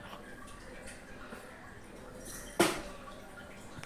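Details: Low indoor hiss and faint dripping, broken by one sharp splash or knock, with no animal voice.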